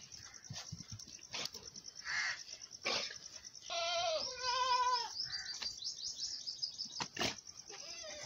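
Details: Mother goat nursing her big male kid on a farm: sharp knocks and clicks, then one drawn-out, quavering bleat near the middle, with a steady high-pitched whine running underneath throughout.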